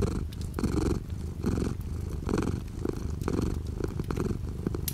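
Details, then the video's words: Cat purring indoors while light rain falls outside the window; deep, rough, continuous rumble pulsing in rhythmic breaths roughly once a second, with a faint steady rain patter behind it. "The sound of a cat purring with light rain outside the window."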